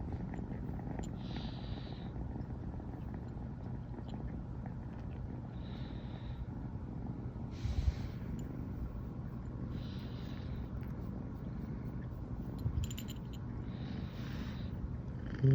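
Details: Female American Shorthair Riri, brown tabby, born 15 September 2020, keeps purring from morning after first sleeping together; an even, deep rumbling purr throughout, broken by soft breathy puffs every couple of seconds.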